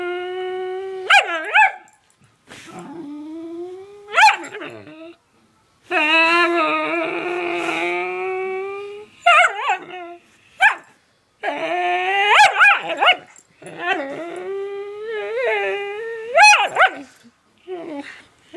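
A whippet makes long, wavering whines that swoop upward into sharp yips and howl-like cries.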